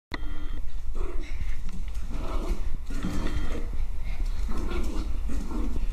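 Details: Two Maltese dogs, Teddy and Leo, playing together indoors; rough, low growling bursts come in clusters across the clip, with a person urging them on in the background.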